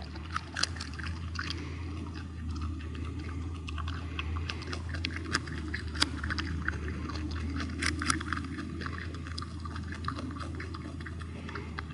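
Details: No animal call is heard; only crunchy chewing and scraping sounds over a steady low hum.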